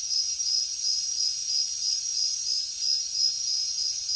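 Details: Jungle crickets at night give a high, pulsing chirp about three times a second over a steady shrill trill, the beats swelling and easing evenly.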